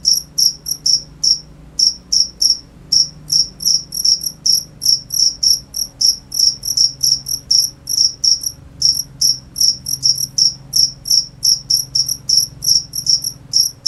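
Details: A cricket chirps in quick high-pitched bursts, mostly paired or in short runs with occasional brief gaps, over a faint low hum.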